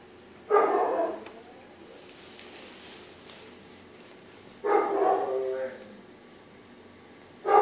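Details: Four-week-old Dobermann puppies playing, kennel-raised; three bursts of harmonic, whiny yelping and yipping, each roughly a second long, separated by quiet gaps with faint background noise.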